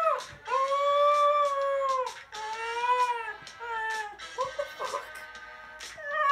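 A Cocker Spaniel howls in long, wavering, tuneful notes, rising and falling like singing.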